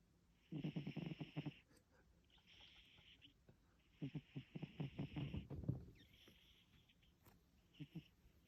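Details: Haru, a Russian Blue cat snoring deep asleep and never waking: two long bursts of low, rattling, fluttering snores with airy hissing breaths between them, then a brief quieter snore at the end.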